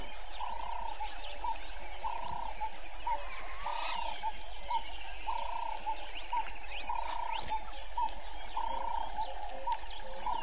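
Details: Pulsed mid-pitched croaking, repeated about once a second, from grey foam-nest tree frogs at Vuyatela Pan on Djuma Game Reserve, Sabi Sand Wildtuin, South Africa, 05:20 on 01/05/19, live waterhole camera; busy insect and bird chorus behind.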